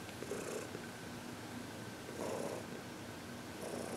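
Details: Heidi, a happy 14-year-old senior cat adopted from the Humane Society of New York City, purrs steadily while receiving massage and reiki on February 22, 2021; a low continuous rumble with soft rustling bursts of touch and handling noise.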